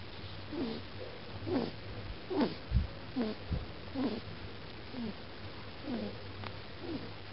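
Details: Blue-white Persian kitten Mochi, 13 weeks old, falling asleep in a funny position in Holland, 2011, making weird noises: soft squeaky chirps repeated about once a second, rising and falling, over a steady low indoor hum.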